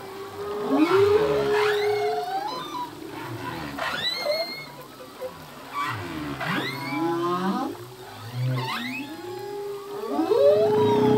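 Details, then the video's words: Male humpback whale singing in the open ocean, a full-length song whose phrases change each year: long tonal moans near the low middle register mixed with rising whoops and upswept cries that recur every few seconds. "Whale song - full length humpback whale song"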